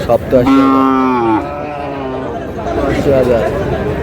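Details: Sahiwal bull calf at a busy cattle market in Chattogram, Bangladesh, during buying and bargaining; a single long, rich, harmonic moo lasting about one second, followed by a weaker lowing, with men talking and haggling over prices nearby.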